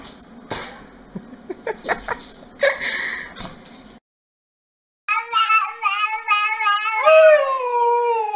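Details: Siberian Husky: scattered clicks and short yips at first, then after a brief break a high, wavering howl with rich harmonics that bends up and down in pitch, sliding lower near the end.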